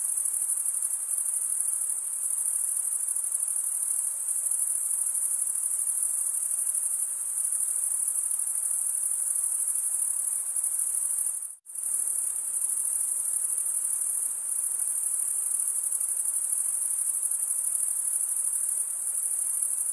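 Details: Crickets stridulating, males drawing one wing across the serrated vein of the other, in a steady high trill that cuts out abruptly for a split second near the middle, then resumes unchanged.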